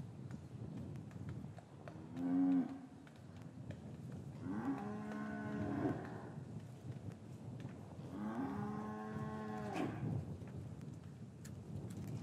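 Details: Cows lowing in a traditional English cattle yard on a winter afternoon after the calves were taken from their mothers; three long harmonic moos, each rising slightly then steady, spaced a few seconds apart, over quiet barn rustling.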